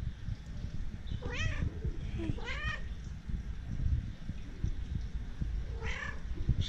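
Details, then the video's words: Domestic cat meowing: three drawn-out, arching meows, two close together early on and one near the end, each rising then falling, over a steady low rumbling background. "Cute and Funny CAT videos"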